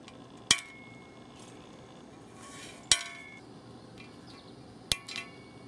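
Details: Large eyed click beetle, about 1.75 inches long, found on a sundial atop a garden retaining wall beside lantana and canna beds in McDonough, Georgia, on July 22; three sharp broadband clicks roughly two seconds apart over quiet background.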